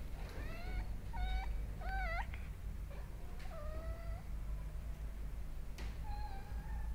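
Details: Domestic cat indoors, hunting a moth, giving a series of short rising-and-falling meows and chirps with clear harmonics, several in quick succession early on, then longer level calls later, over steady low room hum.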